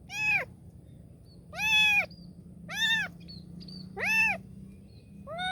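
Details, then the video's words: Kitten crying for help, repeated high meows with rich harmonics, each about half a second long and rising then falling, four calls spaced roughly one and a half seconds apart over a low steady hum. "A kitten's voice was heard asking for help"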